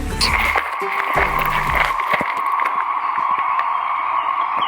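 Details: 17-year periodical cicadas keep up a loud, steady whirring, whistling drone that never pauses, in woods by Fossil Beach Trail, York River State Park, Virginia, as heavy rain approaches; a man speaks briefly at the start.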